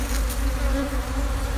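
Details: Old, once-strong honey bee colony nesting beneath a discarded sofa, opened for honey cutting; an even, droning hum of many bees holds throughout with no clear pauses.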